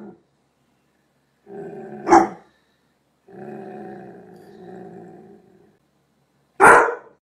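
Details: Doberman Pinscher. A Doberman Pinscher gives a rumbling, drawn-out growl lasting a few seconds. Two loud, abrupt barks punctuate it, one rising out of the first growl and another after a short pause.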